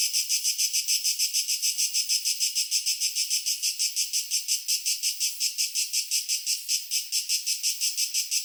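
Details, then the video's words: Tree cricket calling in a steady run of short, high-pitched buzzy pulses, about five to six per second, evenly spaced and of even loudness throughout, with no low sounds and no other animals or background noise. "Tree Cricket Sound Effect"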